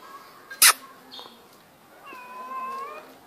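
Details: Pet cat named Mano, a kitten being called by name; one drawn-out harmonic meow in the second half, preceded by a sharp click and a faint short chirp.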